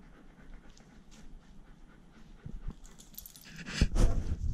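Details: Poodle panting indoors at home, one of two pet poodle brothers, Iruma and Dory: soft, quick breathy puffs at first, swelling near the end into loud, rasping bursts of breath.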